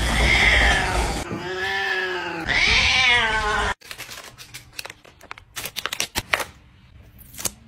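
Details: Domestic cat talking, three drawn-out, wavering meows in quick succession, harmonic and nasal with bending pitch, then clicks, taps and handling noises fill the rest.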